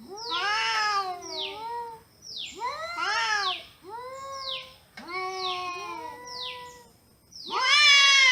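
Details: Domestic cats talking back and forth: bursts of loud bending meows mixed with high descending chirps, four bouts over several seconds ending on a strong rising meow.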